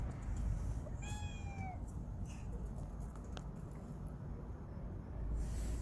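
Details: Lovely domestic cats huddled together, one clear meow that dips slightly in pitch, then quiet clicks and rustling over a continuous low rumble.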